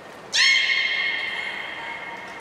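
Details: Beluga named Nana during a training session at the Port of Nagoya Public Aquarium on 13 April 2019: one sudden, loud, rich harmonic squeal that falls slightly and then holds steady for about two seconds.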